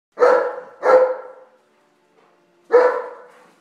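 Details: Bernese Mountain Dog barking while playing a game: two quick sharp barks close together, a pause, then a third bark, each with a short tapering tail, in a quiet setting.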